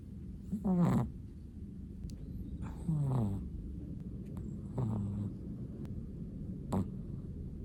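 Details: A Chihuahua asleep, giving four snoring breaths about every two seconds. Each starts with a sliding, whistled wheeze that drops in pitch into a low rumble, the last one brief and faint.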